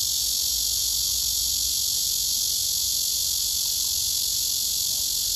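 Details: Cicada singing its summer love serenade to court a mate: a steady, dense, high-pitched buzzing drone that holds at full strength without pause through the whole stretch, with no other clear sounds.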